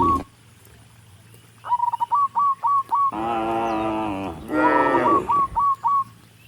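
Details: Tame cattle heading up a country road to the barn, calling to other cattle with two drawn-out moos in close succession, the second rising then falling, while a bird chirps quick, evenly spaced notes around them.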